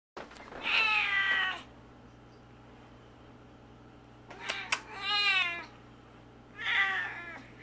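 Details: A male Siamese cat gives three drawn-out, wavering meows with a few clicks between them.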